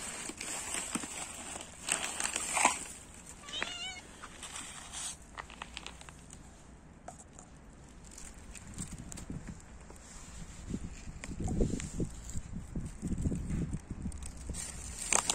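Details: Domestic cat grooming herself: a short wavering meow rises and falls near the start, set among steady crackling and rustling from licking and movement, with low thumps and handling noise later on.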